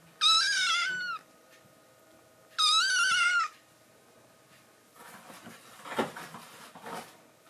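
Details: Foster kitten Momiji gives a cute threat at fellow rescue kitten Kuromame, guarding a favourite man's lap indoors. Two harsh, buzzy cries of about a second each come a few seconds apart, then scuffling and rustling sounds.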